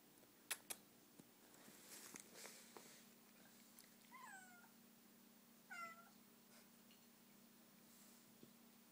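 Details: Domestic cat indoors meowing at a bug it is fixated on; two short rising-then-falling meows about a second and a half apart, with a person's voice and faint clicks in a quiet room with a steady low hum.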